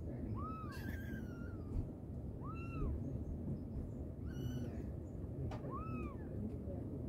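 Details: Mother cat calling her kittens with short arched meows repeated about every two to three seconds, each rising then dropping, alongside fainter higher squeaky mews and a constant low rumble.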